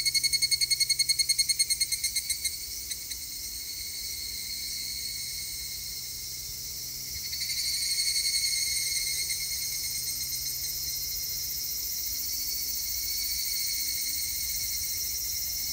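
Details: Evening cicada song recorded 3 August 2021: opens with fast regular pulsed ringing notes for a few seconds, then fades into a continuous high shrill insect chorus that swells and eases.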